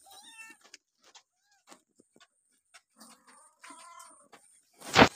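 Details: Abandoned kittens and a mother cat trying to rescue them: a few short harmonic meows at the start and a longer one near the four-second mark, between soft taps and clicks, ending in a loud sharp knock.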